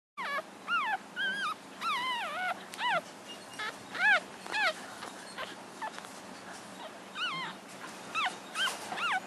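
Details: Newborn puppies, seven days old, from Chelsea's litter, giving a rapid series of high, rising-then-falling squeaky whimpers and squeals, about two a second, overlapping and uneven, over a low steady background hum.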